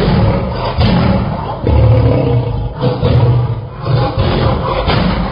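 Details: Lion roaring in deep, rumbling low-pitched bursts that swell and fade about every second, with heavy, continuous low-frequency energy and no other clear sounds.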